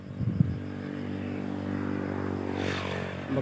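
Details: Steady low rumble of an idling motor vehicle, likely a motorcycle, with a brief scrape near the start and a slight rise in engine noise toward the end; no animal voices.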